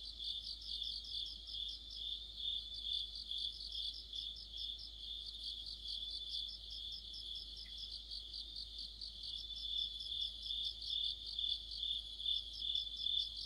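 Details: Crickets and other insects in an autumn night chorus near a streetlamp, a steady high band of pulsed chirps layered over a continuous trill, several callers overlapping without pause.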